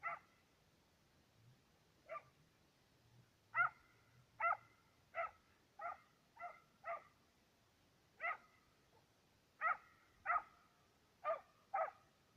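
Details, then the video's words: Two Serbian hounds on the trail of fox and roe deer while hunting. Loud, ringing bays come singly at irregular gaps, about fifteen in all, some in quick pairs. The background is quiet. "Serbian hound,two dogs on trail(fox & roe deer)"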